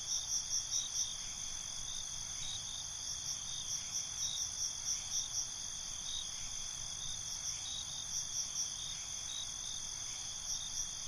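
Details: Night-time cricket chorus: continuous high-pitched trilling, with short runs of rapid chirps breaking in irregularly, set against faint low background noise.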